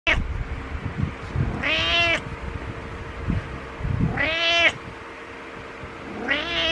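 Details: Domestic cat meowing for attention, three drawn-out harmonic meows about two seconds apart, each rising then falling, with low background rumble and faint handling noise between calls.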